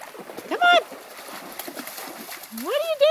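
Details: Young female German Shepherd puppy at a creek for the first time, with two other dogs nearby; a brief steady high whine, then a rising whimper at the end, against running water and a person calling to her.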